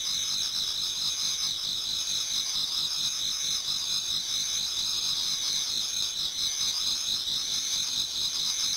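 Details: Many insects singing towards dawn in autumn in a Japanese garden, producing a steady, high, ringing trill chorus that pulses softly and never pauses.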